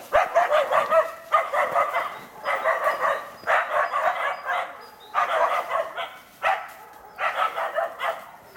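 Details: Training for trials, Karelo-Finnish Laikas Rus-Fin (age 2) and Kaya (age 8 months) bark steadily at an enclosed wild boar; dense clusters of high, rapid barks separated by short gaps.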